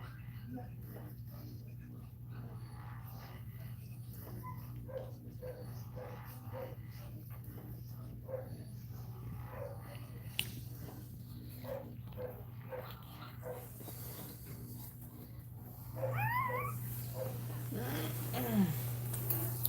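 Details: Cane Corso crying indoors during a labour: a run of faint, short whimpers repeated several times a second, then a louder, arched, rising-falling whine near the end, with a low steady hum and some human voice in the room.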